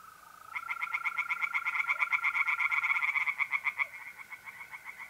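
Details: Pond at night in mid-April, north-east Italy: singing tree frogs join in with a rapid, rattling run of pulses that builds, holds and fades. A continuous high mole cricket trill runs underneath.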